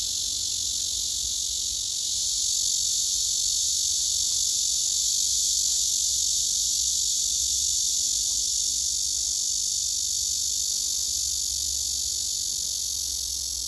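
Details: Several blackish cicadas, possibly including a large female, sit in a row on a tree, giving a steady, loud, high-pitched buzzing drone, unbroken from start to finish.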